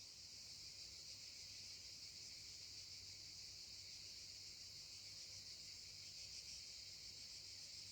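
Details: Evening chorus of cicadas in southern France, among them one louder singer called the chef, which keeps singing last as the others fall quiet at nightfall; a steady high shimmering buzz without breaks, faint and distant, over a low hum.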